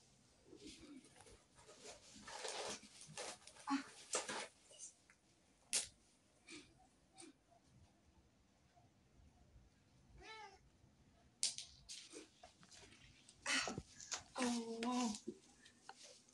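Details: Male pet cat reunited with his owner after months apart, reacting to gifts and treats: a rising meow near ten seconds and a short tonal meow toward the end, among rustling of bags and handling noise indoors.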